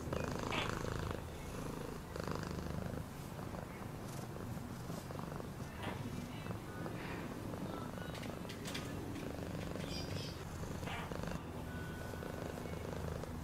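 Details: Domestic cat purring in a steady low rumble throughout, with faint brief higher sounds and possible soft background voices.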